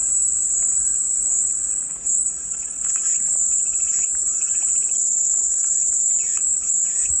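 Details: Cicada chorus as calming white noise: a steady, shrill, high buzz that holds almost unbroken throughout, with faint scattered chirps and rattles lower down.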